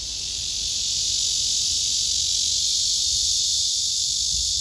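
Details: Male cicada singing a serenade to court a female below him as she backs away, unreceptive; a steady, dense, high-pitched buzzing drone holds unbroken throughout with a faint pulsing texture, nothing else audible.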